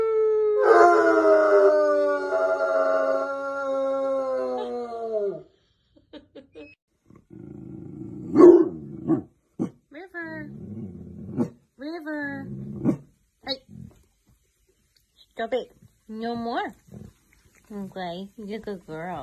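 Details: High-energy bloodhound howling, said to happen mostly when excited as a way of communicating, like its wolf ancestors: one long, slowly falling howl of about five seconds, then scattered short yelps and breathy noises with silent gaps.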